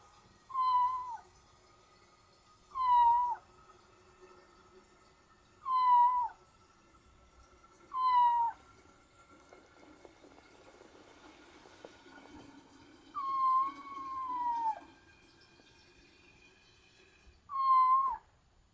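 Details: Young kitten meowing while using the toilet for the first time after earlier trouble, indoors; clear, tonal meows falling in pitch, repeated roughly every two to three seconds, with one longer drawn-out meow near the end and a quiet background.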